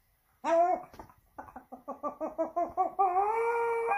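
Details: Pomeranian dog in Saint Petersburg, Russia, September 2021, howling dramatically to attract attention indoors: a loud wavering harmonic cry, then a run of short pulsed yelping notes, ending in a long steady high-pitched wail.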